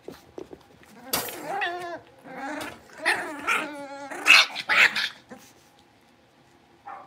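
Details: Five young Blenheim Cavalier King Charles Spaniel puppies, born on New Year's, playing in their pen indoors: a scrappy run of squeaky barks and small growls with harmonic yips, rising into loud, shrill squeals around four to five seconds, then quieting.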